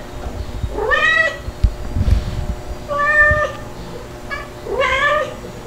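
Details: Playful domestic kittens, a white Dalmatian-spotted one and a black one, indoors with their mother cats; three clear harmonic meows, each rising then falling, spaced about two seconds apart, with soft bumps and a low background hum.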